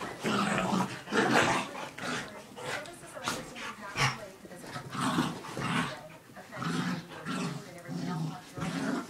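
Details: Two pet dogs, a miniature dachshund and a Rhodesian/Australian shepherd mix, wrestling in play; rough, throaty growls and snarls come in bursts about once a second throughout, with scuffling between them.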